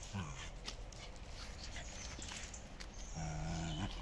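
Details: Tug-of-war play between Miko and Kaela, dogs from a Shiba Inu and Samoyed breeder in the Netherlands. A brief growl opens, followed by a quiet scuffling stretch, then a steadier, sustained low growl near the end.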